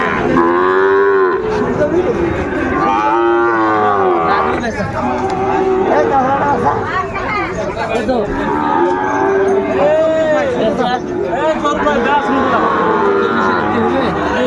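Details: At Ambari cattle market near Dhaka, Bangladesh, on 8 May 2024, Sahiwal bull calves call in a series of loud, harmonic moos, each lasting about a second and coming every few seconds, over continuous crowd murmur.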